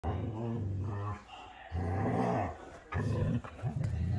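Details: Huskies play fighting, a 'dance of teeth': deep, throaty growls in two long sustained bursts, then a shorter rough rumble, all low and harmonic, with a brief spoken remark nearby.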